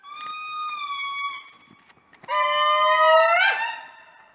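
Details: Indri calling in the morning at Andasibe, Madagascar: a long, steady, wailing tone, a short pause, then a louder, sustained wail that swoops upward at the end. Rich harmonics, eerie and siren-like.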